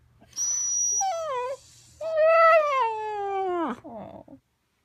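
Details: Sequoia, a female Siberian Husky in her first year, gives drawn-out, wavering, tonal howl-like calls in two long phrases, the second sliding downward and ending in a short rough note; a quiet low hum underneath.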